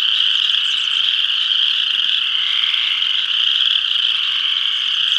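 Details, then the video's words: Full spring chorus of spring peepers at a pond across from a house in northeast Kansas: dense, continuous high-pitched peeping from many frogs blending into a steady shrill wall of sound, with no pauses and no other clear sounds. "Spring Peepers"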